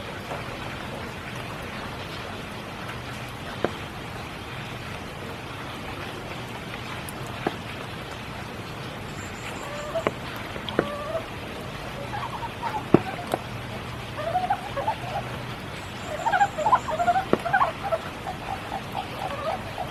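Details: Frogs calling during spring rain at Kiyotaki, Tokyo: scattered short mid-pitched croaks mid-clip, then a quick run of repeated croaks near the end, over steady rainfall with drips and faint high bird chirps.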